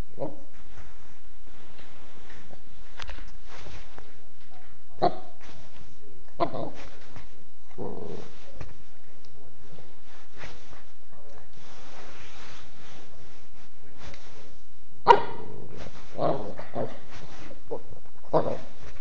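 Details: Norman, a Mastiff cross dog, barks and growls in scattered, uneven bursts with quiet gaps between, and one sharp louder bark near the end.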